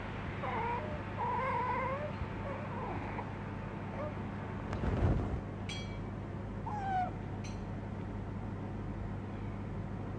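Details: Kinaco, a pet small-clawed otter living in Tokyo, clinging to her owner, gives wavering, whiny squeals in bursts over the first three seconds and once more near seven, over a steady low hum, with clicks and handling thumps.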